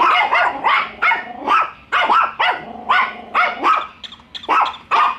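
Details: Pet dogs Bico and Faith barking nonstop at a newly met toy dog; loud, ringing barks tumbling out several per second with slight upward swoops and a faint low growl beneath.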